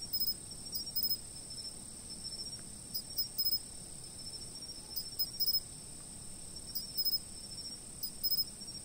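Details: Insect chirping captured by a fixed camera. A continuous high ringing trill plays throughout while paired bursts of quick pulsed chirps recur roughly every one to two seconds, fairly regular and crisp.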